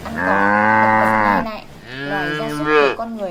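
A cow gives two long, harmonic-rich moos, the first steady and about a second and a half, the second wavering and dropping at the end.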